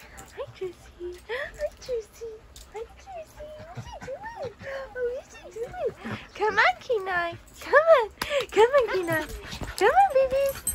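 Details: Siberian Husky puppy chased by a shih tzu in play, not yet able to jump onto a bed, gives wavering, rising and falling whines and yelps that grow louder and quicken toward the end, while a person's voice encourages it.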